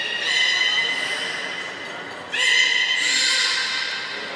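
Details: A beluga, recorded on 18 July 2017 during a pool transfer, gives a sustained, nasal, strongly harmonic, whinny-like squeal that steps up sharply and brightens midway before tailing off, with a faint hall-like echo.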